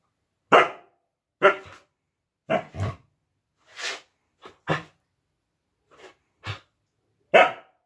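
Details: A female Siberian Husky playing with her plush puppy toy gives short, broad barks and yips at irregular intervals, about one per second.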